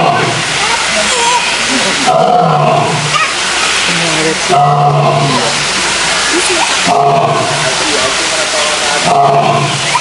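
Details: Male lions roaring in a zoo: deep moaning roars swell and fade roughly every two seconds, each followed by a brief hush, over a steady wash of visitor chatter and crowd noise.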